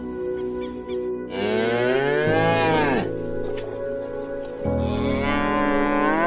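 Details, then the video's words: A cow gives a long, loud moo that rises and then falls over about two seconds, followed by a second lower, rough moo, with soft piano music playing underneath. "Animal sounds - Cat, Dog, Cow, Alpaka, Flamingo"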